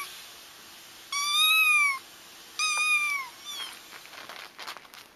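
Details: Crying kittens, played to lure a feral mother cat into a trap: two drawn-out, bright, harmonic cries about a second each, the second arching then falling, followed by soft rustling and scuffing.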